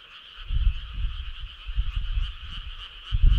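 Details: Many frogs calling together on a midsummer night in the countryside, making a continuous buzzy, fast-pulsed trill that never pauses, over intermittent low rumbles.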